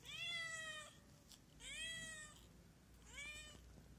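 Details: Hungry stray cat giving three long, clear meows about one and a half seconds apart, bright and harmonic, over low background hum.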